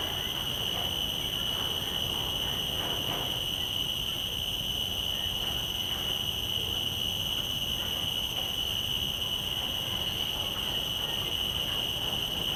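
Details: Field recording of a common cicada's call through shotgun microphones on a Zoom F3 recorder: one unbroken, shrill, high tone droning evenly throughout, over a low, grainy background hiss.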